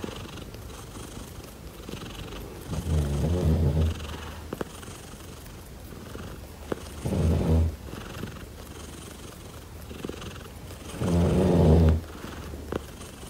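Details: Daisy the cat purring, heard as quiet low rumbling broken by three loud pulsing bursts about four seconds apart, each lasting roughly a second, with a few soft clicks in between.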